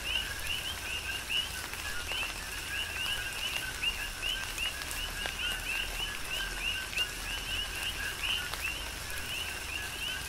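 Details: Many coqui frogs chorusing in a tropical rain shower on Hawaii's Big Island, crisp two-tone chirps rising in pitch and repeating rapidly from all sides, layered over constant rain and scattered heavier drops.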